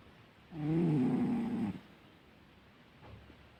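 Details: A domestic cat snores while asleep, letting out a single low, raspy, buzzing breath that lasts just over a second. The room is otherwise quiet apart from a faint murmur afterward.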